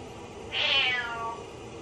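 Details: House cat calling out sadly as its owner showers: one drawn-out, high, slightly falling meow lasting under a second, with steady background hiss indoors.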